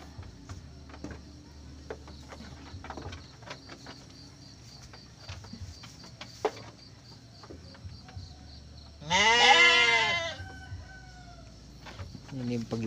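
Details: Single drawn-out, wavering bleat from a Garut sheep ewe in labour with triplets on a Ramadan morning, rising then sagging, preceded by a long stretch of quiet shed noise with faint taps and a low hum, another bleat beginning at the end.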